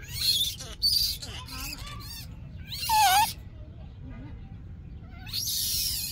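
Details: Young monkey crying out for milk, giving harsh, broadband shrieks at the start and end with a short, bending, whistled wail in the middle, over low rumbling background noise.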